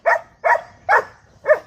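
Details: Five-month-old German Shepherd puppy at home, giving four short, sharp barks spaced roughly every half second, each bright and mid-pitched with a quick fade; a person calls to the dog in Bengali just before and after.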